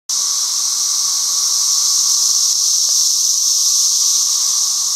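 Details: Cicadas near holes where they come out of the ground, making a loud, steady, high-pitched hissing drone that starts abruptly and holds without a break.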